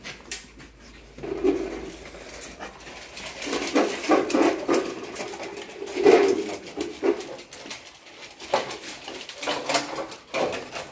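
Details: Rottweilers, young dogs indoors in Brazil, excitedly greeting their owners after two days apart; high whines and whimpers come in short bursts amid clicking claws, scuffling and a man's voice talking to them.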